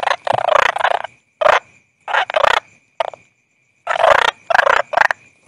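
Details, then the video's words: A toad gives harsh, gobbling bursts of pulsed croaking, each under a second long and spaced irregularly, with a faint steady high tone in the background. "Toad Calling Sound"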